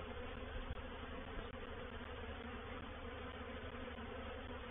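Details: Honey bees in a reproductive swarm entering a swarm trap at Painted Peacock Manor, 04/07/21. Thick continuous droning buzz of many bees, even in loudness, with a couple of brief soft knocks.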